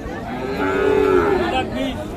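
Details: Bull from a pair offered for Qurbani at Ambari market in Dinajpur, as the price is asked: a loud, droning moo swelling and then dipping in pitch before trailing off, with a second lowing voice briefly at the end.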